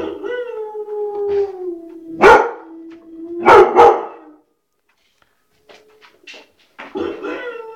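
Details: White shepherd dog howling in a sliding, slightly falling tone, broken by two hard bark bursts, then a pause of quiet followed by faint yips and the start of a new howl.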